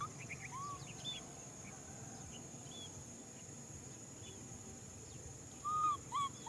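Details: Baby macaque crying out for a hug. Faint hiss and a steady high whine at first, then near the end two short, clear, arched whistling coos, each rising then falling, close together.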